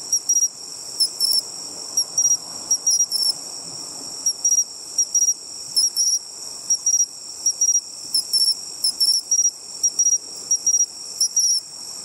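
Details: Bell cricket (Meloimorpha japonica) rings out clear, high, bell-like chirps in quick repeated bursts; found by its song at the seaside.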